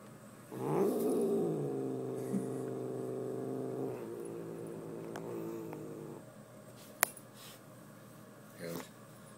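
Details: Male house cat angry and possessive over a sparkly fuzzy sweater, giving a long rising then steady growling yowl lasting about five seconds with rich harmonics, fading out, followed by rustling and a sharp click.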